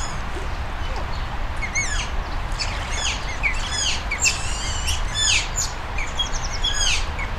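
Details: Several captive Asian small-clawed otters (Aonyx cinerea) at Zoo Duisburg, Germany, waiting for their food: a steady stream of high, thin chirps and down-slurred squeaks from many animals at once, over a low background rumble.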